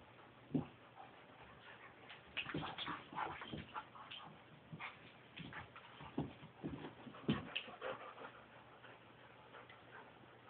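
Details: Playtime between a Border Collie and a Parson Russell Terrier; repeated short whimpering yips and growly bursts come in irregular clusters, mixed with scuffling and thumps from the two dogs wrestling.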